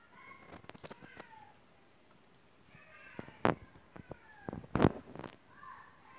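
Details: Cat outside a closed window wanting to be let into the house, giving several short harmonic meows, some falling in pitch, between sharp knocks and thumps, with quiet gaps between calls.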